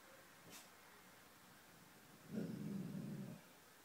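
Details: Petey, a pet dog, growling at something unseen: after a quiet stretch with a faint click, one low, rough rumbling growl lasts about a second, then stops.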